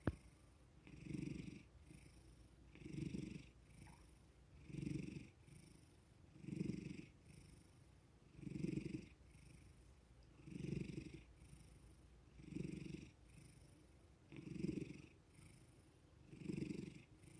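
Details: House cat, male, relaxing under affectionate petting after a sudden wake-up; steady rhythmic purr rising and falling about every two seconds, nine even surges, soft airy breath noise alongside.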